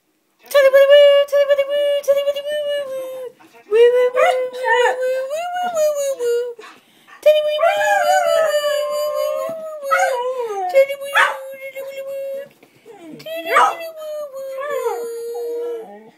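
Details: A collie sings along to her favourite tune, howling in long, wavering notes that slide up and down.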